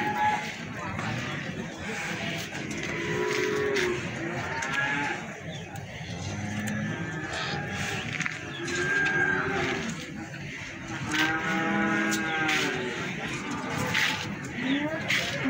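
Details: Feeder cattle at the livestock market in Plaosan, Magetan, Indonesia: several long, deep moos with rich layered overtones come and go over steady crowd chatter and general market bustle.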